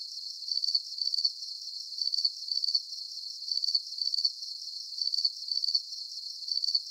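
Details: Soothing night cricket chirps, each burst a rapid cluster of high ticking pulses, repeated at an even pace near twice per second against silence.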